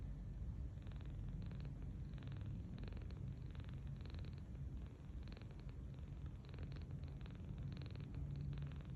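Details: Rescued 39-day-old kitten sleeping belly-up on a bed, softly snoring: a low, steady rumble with soft rhythmic breath pulses repeating about every half second, otherwise quiet indoors.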